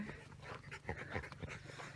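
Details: Rottweiler from the Gervi kennel pair Kaka and Vincy, living with soldiers at a new home on open grassland, pants in rapid, noisy, breathy puffs through two seconds, with no voices over it.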